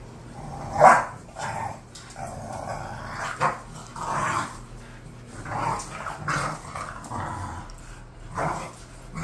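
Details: Bored pet bulldogs Khan and Ali vocalising indoors: one loud sharp bark near the start, then a string of rough grumbling growls and softer bark-like huffs repeated every second or two.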